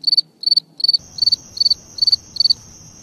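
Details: Cricket chirping: crisp high-pitched chirps, each a tight cluster of three quick pulses, repeated about every third of a second, with a thin continuous high tone joining partway and a faint background rustle.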